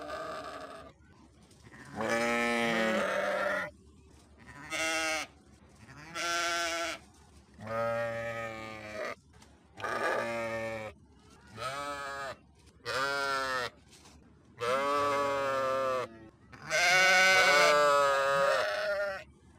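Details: A long run of sheep bleats, about ten separate calls, each a trembling harmonic cry of one to two seconds, coming in quick succession with brief silent gaps.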